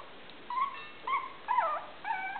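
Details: Four short, high, bending whines from 23-day-old Maltese puppies, one litter of five, each cry lasting about a quarter second with brief quiet gaps between them.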